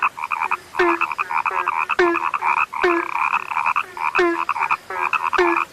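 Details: Rare frogs croaking: overlapping buzzy calls in broken bursts, each beginning with a sharp click and a short low note, repeating roughly once a second.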